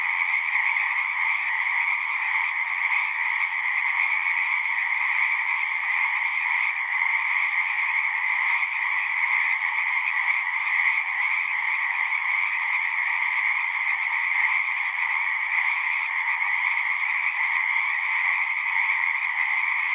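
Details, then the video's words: A long stretch of frogs singing in a dense, unbroken chorus: continuous overlapping trills at a steady high pitch, loudness barely changing throughout. "One hour of singing frogs."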